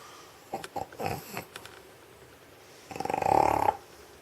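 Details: Old stray dog in Sheregesh sleeping on a warm studio floor after eating sausage, snoring like a person: a few short snorts, then a longer rasping, pulsing snore lasting under a second.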